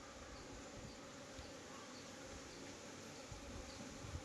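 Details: Farmed honey bees at a beekeeping hive in Nellore: a low, steady, dense buzzing hum of many bees at close range, with a faint rustle and no clear voices.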